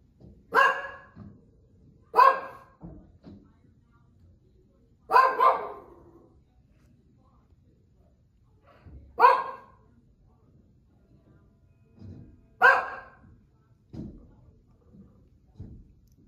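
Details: Female Shih Tzu barking indoors as a watchdog at workers removing an old wood deck outside: sharp single barks, five loud ones spaced about two to four seconds apart, with softer woofs and a person's voice encouraging her between them.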